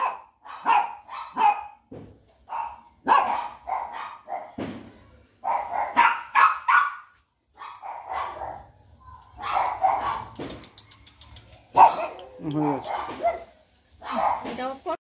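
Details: A Rottweiler puppy at a dog shop in Rampurhat, Birbhum, West Bengal gives short, high, yappy barks and whines in quick irregular bursts.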